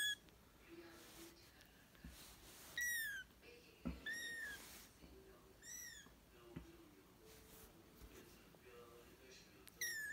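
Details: British and Scottish kittens, indoors, giving high, thin mews with rich overtones, each briefly rising then levelling, scattered about every one to two seconds over a quiet room background with faint soft knocks.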